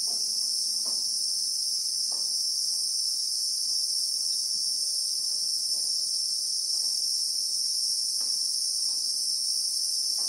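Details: Steady high shrill drone from Christmas beetles (Anoplognathus) in the South African bushveld, recorded in real time; the even buzzing never pauses, with faint soft knocks and brief distant sounds scattered underneath.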